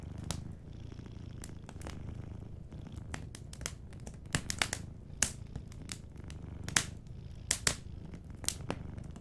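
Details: Soft purring from a sleeping cat, a low steady rumble beneath frequent sharp pops and crackles of a burning fireplace that often dominate the sound.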